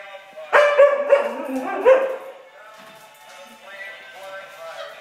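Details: Siberian Husky near a robot chicken toy: a quick run of four ringing harmonic barks in the first two seconds, followed by softer tonal, music-like sounds.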